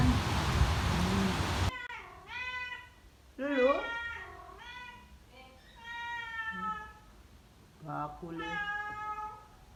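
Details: Indonesian village cat (kucing kampung) meowing: after a brief burst of rough noise, a run of clear, drawn-out meows, some rising then falling and others flat and nasal, repeated at uneven intervals, indoors.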